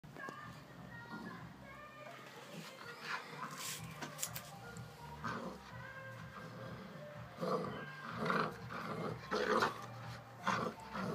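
A young bull terrier gives short, harsh yelps and barks in uneven bursts over background music.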